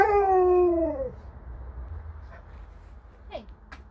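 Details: Alaskan Malamute named Sherpa indoors, a drawn-out howling whine that slowly falls in pitch and fades after about a second, followed by quiet room hum and a faint brief squeak.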